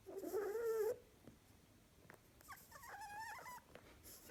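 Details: Sleeping female harlequin rabbit snoring and talking: a one-second wavering squeaky whine rising slightly, a quiet pause, then a fainter warbling squeak near the end.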